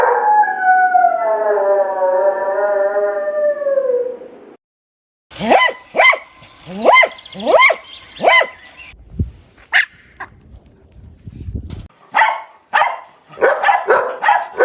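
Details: A dog gives a long, wavering howl that slowly drops in pitch. After a brief pause come rhythmic, bright barks about once a second, then scattered yaps and a closing burst of quick barking.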